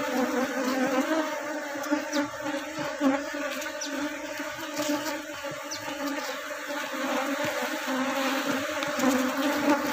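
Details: Honey bees at a kept colony being managed to reduce drones: a steady, dense buzzing hum with layered low tones, faint clicks and taps throughout, and a nearby voice at times.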